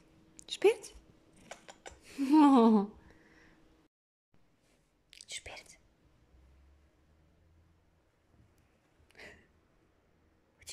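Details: Lynx point Siamese cat, indoors, answering with a meow when asked if he wants to play with his feathery wand toy; one rising-falling meow around two seconds in, short clicks and quiet human voice between.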